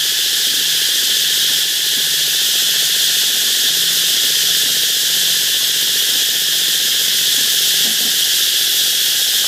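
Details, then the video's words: Canal-side cicada chorus in the Mekong Delta, a continuous high sizzling buzz that never pauses, steady in loudness, with soft low ticking and pulsing sounds beneath. "Mekong Delta: Cicadas in the canal"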